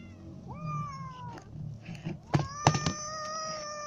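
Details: Hungry kittens and adult cats waiting to be fed, calling with harmonic meows: one long falling meow, then sharp clicks and knocks, and a steady sustained meow at the end.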